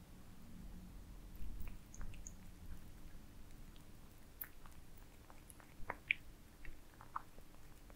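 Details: Cats feeding on heaped minced meat: soft smacking bursts early, then sparse bright clicks and ticks of biting, quiet gaps between, over a low steady background hum.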